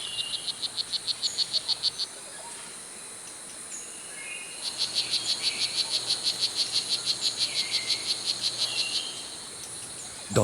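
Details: Male strawberry poison dart frog, the blue jeans morph, calling loudly in Costa Rican rainforest to attract mates. Rapid trains of sharp, high clicking buzzes, about eight per second, in two bursts over a constant insect hum.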